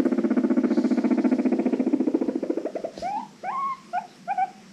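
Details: Pet guinea pig noises, described as happy wheeking among squeaks, purring and clucking: a rapid low pulsing purr-like run for nearly three seconds, then several short rising squeaky whistles with bright overtones.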